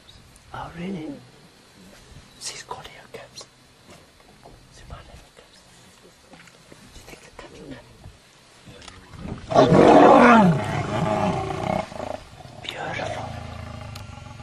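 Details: Fighting lions that get really angry: a loud harsh snarling roar bursts out at about ten seconds and lasts two seconds, with earlier short growls and clicks and faint voices underneath.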